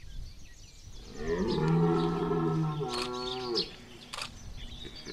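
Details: Red deer bellowing during the September 2021 rut at Chambord: one deep, drawn-out harmonic roar lasting over two seconds that holds low and steady, then falls away. Faint rustling and a few clicks follow.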